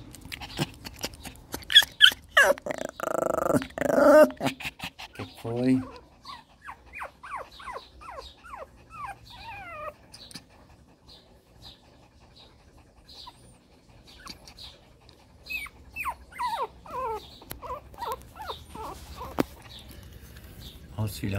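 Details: Shih Tzu puppies from a fresh 2014 litter, with the mother nearby; a few seconds of loud handling noise and a voice give way to many tiny rapid squeaks and whimpers that come in bursts.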